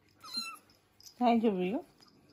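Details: Kitten during its first nail clipping, giving one drawn-out meow that dips and then rises at the end, after a faint brief squeak, indoors.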